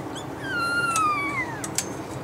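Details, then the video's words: Newborn Bernese Mountain Dog puppies in their first few days, a litter of ten: a high whining squeal that dips then rises at the end, with faint clicks and household hum. "Bernese Mountain Dog Puppies-First Few Days"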